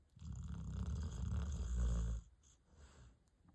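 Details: Sleeping golden dog gives one long, loud, low rumbling snore lasting about two seconds, then fades to quiet breathing.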